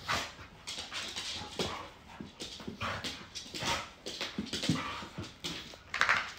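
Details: American Bully puppy and adult American Staffordshire Terrier playing very actively indoors at home in the evening; rough, breathy huffs and scuffling bursts come in quick irregular runs, with a brief high whine near the end.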